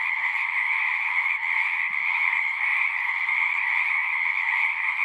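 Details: Many frogs singing together in a dense, unbroken chorus: a steady shimmering trill with two bright bands, one mid and one higher, holding an even loudness throughout, with only scattered faint low ticks beneath.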